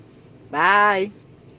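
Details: Ace, a Belgian Malinois, makes a funny noise as he talks to his owner: one drawn-out, half-second moaning sound, steady then rising slightly at the end. A quiet indoor background follows.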